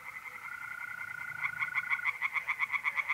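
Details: Tree frogs singing in a pond on an April night in north-east Italy: fast, evenly pulsed croaking notes in a dense chorus, with a steady high trill from mole crickets running beneath until it stops midway.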